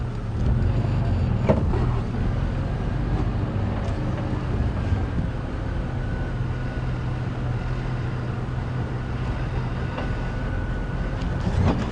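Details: A steady vehicle engine rumble with no animal calls.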